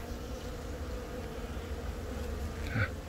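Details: Honey bee colony where a virgin queen, hatched from the year's first natural swarm, has begun laying eggs; April 20 in Baegam, Yongin, South Korea, filmed on a Galaxy Note10. A low, steady droning hum, with a brief brighter buzz near the end.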